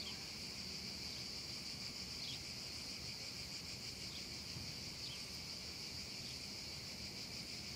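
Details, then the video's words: Summer afternoon cicada chorus in a meadow under a hot sky, an unbroken high-pitched buzzing wash, with a few faint slurred chirps and a low soft hum beneath. "un caldo pomeriggio d'estate e le cicale"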